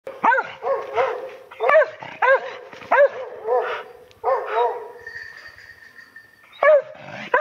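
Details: Hunting dogs barking at a wild boar hidden in ferns on a mountain pass walk in Japan: two dogs give rapid, loud, ringing barks in irregular bursts, some double, with a faint steady high whistle and soft rustling between.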